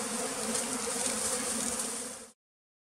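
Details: One pearl's bee at a Cambodian bee farm in the flooded forest of West Tonle Sap Lake: a constant rough buzzing drone lasting about two seconds, then cutting off abruptly into silence.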